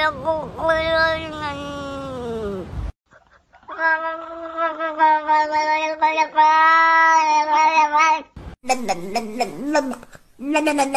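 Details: Cats claimed to speak English give a long falling meow, then a sustained, quavering, talk-like yowl, followed by quicker bending meows after a cut.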